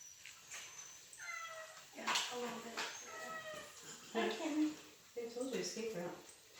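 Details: A cat meows several times indoors, each cry a short harmonic wail, with a person talking over and between the calls.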